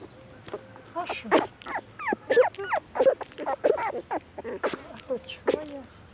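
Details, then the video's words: Several puppies whining and yelping in a busy run of short high cries, some rising and falling, others brief chirps, crowding together over about six seconds with a faint low hum beneath. "puppies whine"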